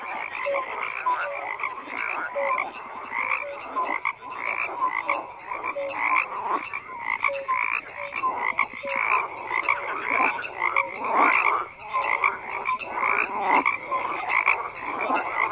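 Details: An unbroken frog chorus of rasping, pulsed croaks in overlapping bursts, with scattered short tonal notes and a steady dense texture throughout.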